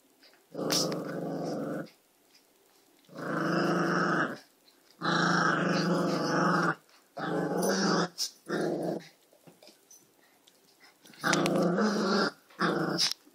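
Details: Two dogs playing indoors, growling; rough, rumbling growls in bursts of one to two seconds with short pauses, repeated several times over about thirteen seconds.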